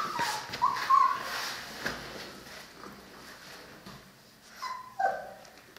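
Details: Cane Corso puppies, three weeks old, offspring of Paula and Bullet, give short thin squeaks early on and a pair of sharper falling yelps near the end, with quiet rustling between.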